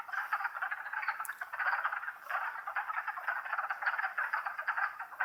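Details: Many wood frogs calling at once in Longkill Woods during spring, April 2014, making an unbroken, throbbing wall of hoarse, duck-like clucks with no other sounds.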